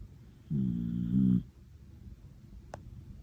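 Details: Ramu, a cream female Miniature Dachshund deep in sleep, gives a single loud, low snore of nearly a second, rasping and rising slightly toward its end, followed by quiet and a brief click.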